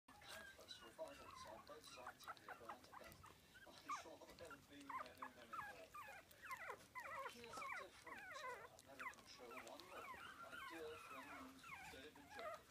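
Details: Four-week-old Biewer terrier puppy tasting meat for the first time, giving a dense stream of high, wavering squeaks and little whines, overlapping and nearly continuous while it eats.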